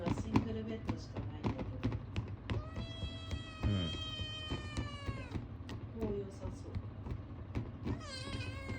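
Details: Begging for food, a male Ragamuffin kitten born 9 March 2022 gives one long, gently falling meow of nearly three seconds, then a rising cry at the end, with scattered clicks and thumps around it.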